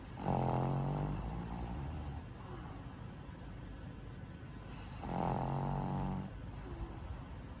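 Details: Sleeping black pug Tenson, a male born in Nagano in May 2018, gives two long, rasping, droning snores about a second each, spaced roughly five seconds apart, with quiet breathing in between.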